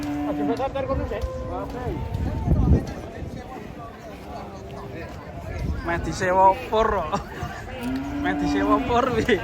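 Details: Enraged cow with a broken horn being unloaded from a truck in Indonesia: low, drawn-out moos at the start and near the end, mixed with people talking and shouting over a noisy background.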